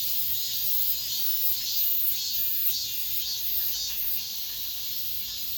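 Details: End-of-summer cicada chorus within an apartment complex, a loud unbroken high-pitched buzzing that swells in soft regular pulses about twice a second.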